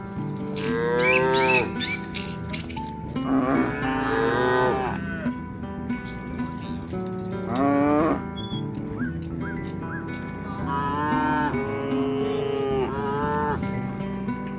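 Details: Several tame village cows being herded in the afternoon moo in turn, drawn-out, rich and nasal calls that swell and fade over one to two seconds, with a faint steady hum and a brief high chirp between calls.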